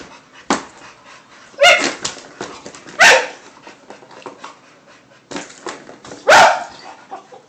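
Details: Two pet dogs playing together with a cat toy, recorded on a phone indoors: three short, sharp barks spaced irregularly, at about 1.6, 3 and 6.3 seconds, over soft background rustling and quieter yips.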